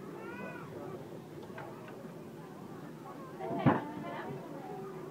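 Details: Several meerkats at Skansen Aquarium give short, thin, harmonic chirps and peeps over a low murmur of background noise.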